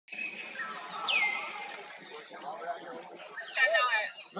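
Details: Hurt baby monkey trying to pull free from a forced companion: a sharp squeal falls steeply from very high to mid pitch, then a cluster of wavering harmonic cries near the end, over a rustling, murmuring background.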